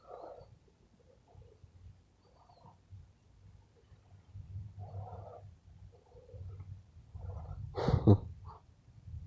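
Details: Tired pet rescue squirrel making funny sounds while being petted before a nap. A low rumbling purr-like murmur carries short muffled grunting bursts, then one louder sharp burst near the end.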